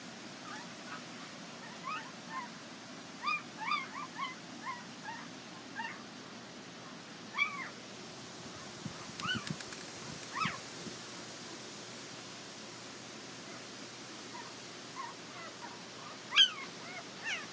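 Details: Border Collie puppies from Nell and Skeet's litter at the International Peace Gardens, 12 August 2018, giving scattered soft, high whimpers with short arched rises and falls through the clip, some bunched together, over a steady low background hiss.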